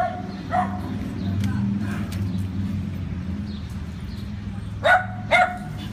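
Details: Great Dane described as dog-aggressive, in training in Northern Virginia; a short bark early on, then two sharp, loud barks in quick succession near the end, with a man talking and low background hum throughout.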